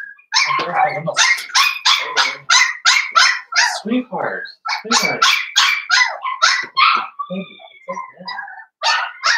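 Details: Litter of five blenheim Cavalier King Charles Spaniel puppies, born over New Year's, in their puppy pen: continuous rapid high-pitched yapping, several barks a second, with human voices mixed in.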